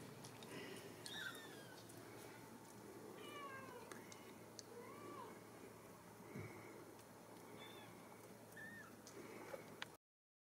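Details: Ragdoll kittens raised indoors at a central Kansas cattery mew repeatedly, short piping cries from several kittens overlapping every second or two, some rising and some falling, with light clicks and rustling in a quiet room.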